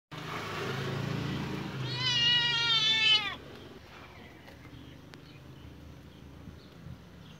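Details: A pet cat walking alongside a person gives a single drawn-out meow lasting about a second and a half, harmonic and slightly wavering, after faint low rumbling; quiet background afterwards with soft scattered clicks.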